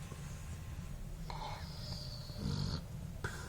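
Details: Sleeping Basset Hound snoring: a low, rumbling breath underneath a thin, steady high whistle lasting about one and a half seconds, then a brief second wheeze near the end.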